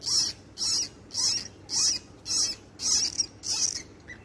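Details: Baby bunny, newborn, weeping with sharp, breathy high-pitched squeaks in a regular series of about seven bursts spaced roughly half a second apart.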